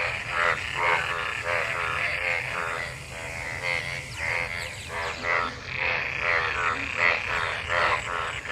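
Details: After monsoon rain, numerous frogs collected in rainwater call while mating, a thick overlapping chorus of buzzy pulsed croaks rising and falling in loudness, each burst short and quickly repeated.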